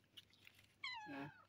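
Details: Village cat at feeding time, given sausage, corned beef and meatballs with rice, after being brought back from a night market; a single clear, drawn-out meow that slides downward, preceded by soft background clatter.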